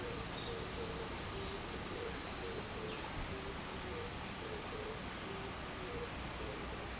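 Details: A summer cicada chorus by a Japanese stream: one unbroken, high, shimmering buzz holds steady throughout. Soft water noise and faint short low notes sit beneath it.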